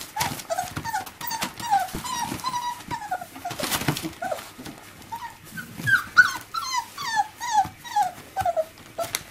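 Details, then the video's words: Five-week-old miniature labradoodle puppies playing with their mother indoors: many short, high whining yelps and squeaks, often rising or falling, repeated in quick overlapping bursts, with soft thumps and shuffling. "Labradoodle Puppies Lets play with Mum 5 weeks"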